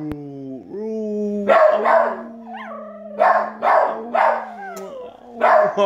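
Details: Three household dogs, a puggle, a rat terrier and a dachshund-pug mix, vocalise over uneaten food as their owner howls to encourage the littlest. A long low steady howl is broken by short, harsh, repeated yelping bursts.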